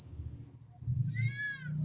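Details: A domestic cat gives one short arched meow near the end, after quieter low rumbling noise. Steady low-frequency background noise runs throughout.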